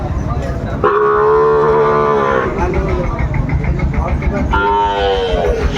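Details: Sahiwal bulls at a busy cattle market in Brahmanbaria, Bangladesh, on 31 May 2024: two long, steady, droning moos with rich harmonics, the first lasting over a second, over vehicle rumble and chattering voices.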